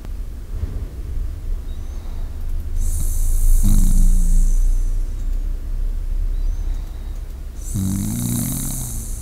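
A sleeping Shiba Inu breathes slowly and deeply, each breath ending in a soft, low snoring rumble.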